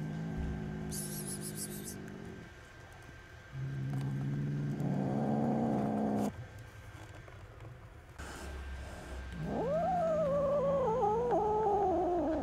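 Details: Several bouts of low droning growls from angry baby kittens, five of them with their mother cat, separated by quieter gaps with light handling noises, ending in a loud yowl that rises sharply then wavers downward.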